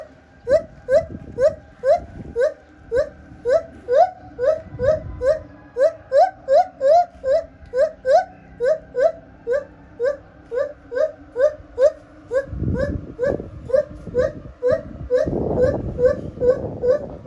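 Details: A captive lar gibbon at Japan Monkey Center sings a steady series of loud, upslurred whoops, each sliding upward, more than twice a second, as its song changes phrase; low rumbling noises break in briefly near the end.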